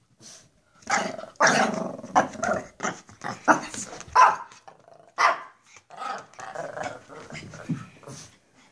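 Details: Two Pekapoms, a smaller female and a larger male, being goofy and playing for the camera indoors: bursts of gruff growling and short yappy barks, overlapping and uneven, with brief pauses between flurries.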